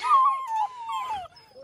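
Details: A young black German Shepherd puppy, one of ten in a litter, gives a short, quavering howl that sinks gradually in pitch, followed by a softer trailing whine.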